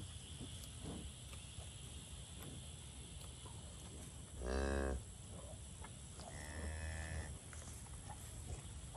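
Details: Limousin and Angus cattle in a pasture; a single loud, low, drawn-out moo of under a second midway, then a fainter, shorter lowing, over steady rural background hiss and light rustling.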